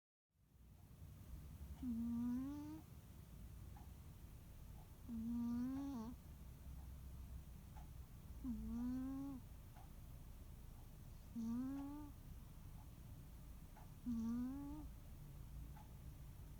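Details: Muneharu, a rescued cat, snoring through a nap on a quiet holiday afternoon indoors: five tonal, slightly rising snores with rich harmonics, about one every three seconds, over a low steady room hum.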